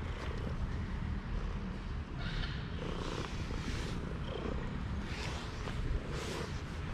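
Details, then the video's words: A shy, timid smoky calico cat, female, purring once she came to trust a person. A steady, low rumbling purr runs throughout, mixed with soft broadband rustling and handling noise. "shy cat started to purring in a really cute way as soon as trusted me!"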